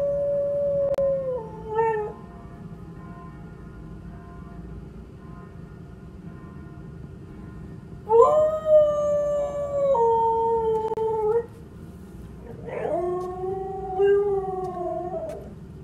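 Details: A female Siberian husky howls in long, wavering, drawn-out tones that slide up and then sag downward, as she always does when the church bell rings.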